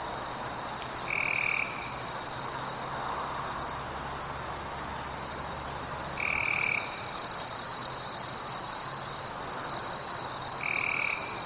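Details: Insects in a forest at night produce an unbroken shrill drone with fainter bands above; three short, flat, lower tones recur at roughly five-second intervals, and a faint low hum sits beneath.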